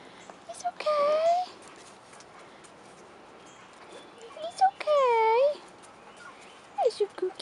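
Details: Two drawn-out, wavering whimpers from 4.5-week-old Rottweiler puppies on their first outing outdoors, each lasting about half a second, separated by a quiet stretch with faint background murmur.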